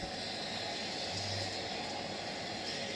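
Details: Steady broadband hiss and low rumble like a passing vehicle or train, with no animal voice.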